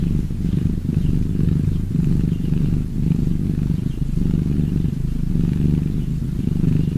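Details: Loud, close cat purr, a rich low rumble pulsing steadily with inhale and exhale cycles about once a second, uninterrupted for the whole stretch.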